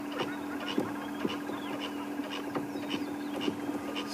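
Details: Squirrel alarming with its tail twitching during a sunrise safari drive on January 30; sharp repeated chucks about twice a second over a steady low engine hum.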